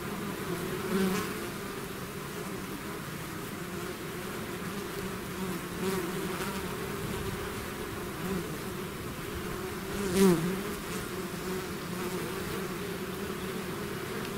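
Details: Swarming bees leaving their hive fill the air with an unbroken, droning hum, layered wingbeats steady and thick, with a few passing bees swelling louder for a moment, the clearest close pass late in the stretch.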